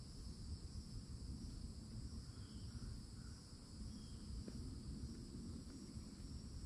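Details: Cicadas singing in summer at a Florida forest edge by an old oak: an even, sustained high whine in stacked tones, soft distant bird chirps and one sharp click, over low rumble.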